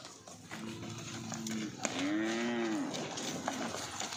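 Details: A cow on a dairy farm in Odisha gives a low, drawn-out moo that swells and then falls away, with farmyard noise behind.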